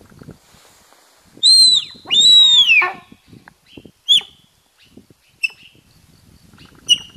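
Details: A wild sika deer in Qingliangfeng National Nature Reserve, Zhejiang, gives high, clear whistles that bend upward and slide down, then short sharp squeaks. It calls to intimidate competitors during the October–November mating season.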